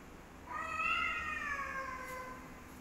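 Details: Black cat trying to fight a white cat lets out one long wavering yowl, rising at the start and sliding slowly down over about two seconds.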